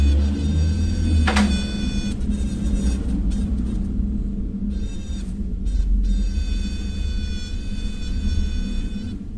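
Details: A bee, possibly, gives a steady, droning buzz rich in overtones, in bursts over a low rumble, making this odd noise just before it starts flying.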